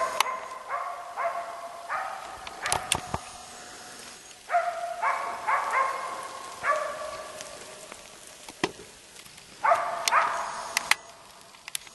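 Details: A female East Siberian Laika on a moose hunt in Finland gives steady, ringing bay barks in quick bursts at a moose around 19:05, heard from roughly 80 metres away.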